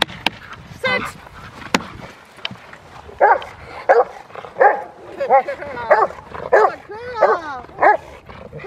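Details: Rottweiler Freya vh Odom in protection training on November 21, 2021, preparing for IGP1 and Ztp; after a few sharp snaps, a steady run of loud barks roughly every two-thirds of a second, with human voices underneath.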